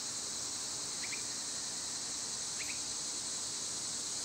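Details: Summer cicadas, loud at this season, form an unbroken high, hissing drone that fills the whole stretch, with two brief faint chirps from another caller at about one and two and a half seconds.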